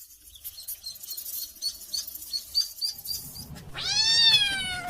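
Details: Kitten calling for its mama: after a few seconds of soft scratchy rustling, one loud, sustained meow, bending down in pitch and held for over a second.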